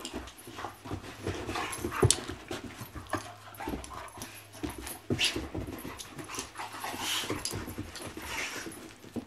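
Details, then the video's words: A pair of puppies at play, giving scattered yelps, panting and soft whimpers amid thumps and scrabbling, with a sharp squeal near the two-second mark. "Puppies Play Everyday"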